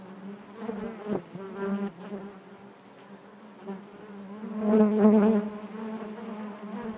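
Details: Steady hive hum of honey bees, quieter at first, then a bee's loud whining buzz swells near the end before settling back into the constant drone.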